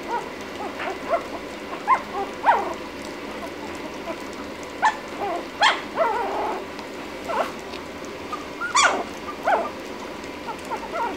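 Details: Lhasa Apso puppy ten minutes after its first feeding, licking; scattered short squeaky whimpers and wet smacking noises come at irregular intervals over a steady low background hum.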